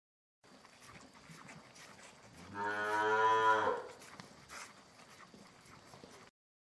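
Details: Cow giving one moo of about a second, rich in harmonics, against a faint background hiss with a few soft knocks.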